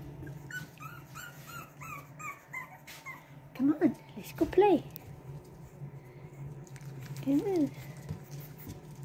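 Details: Boston Terrier puppies, a litter of two from Lily and Lil Red, at play in a small room: a run of faint high squeaks, then three sharp arched yelps, with a person talking softly and a constant low hum.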